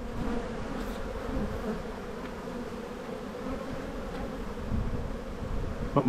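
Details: Honey bees in an open hive during a spring buildup inspection; a steady low droning hum with a faint tonal band, fairly quiet, with occasional soft clicks from frames being handled.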